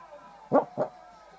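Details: Little male dog barking in his sleep, recorded Feb 9, 2014: two soft, muffled yips in quick succession, the second slightly weaker, over a quiet steady background hum.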